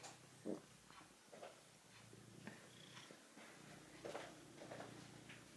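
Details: Red male house cat kneading a plush toy he enjoys, giving a low continuous purr under repeated soft rustling and pawing sounds from the fabric.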